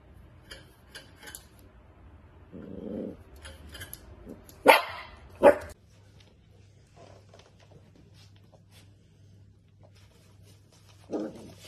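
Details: Naughty, playful dachshund growls briefly, lets out two sharp barks close together, then falls quiet before a final short growling bark; a steady low hum runs underneath.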